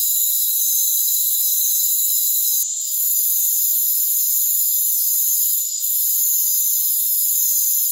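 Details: Continuous shrill trilling of rainforest crickets, many high tones stacked together without pause, dipping briefly twice; nothing else audible beneath.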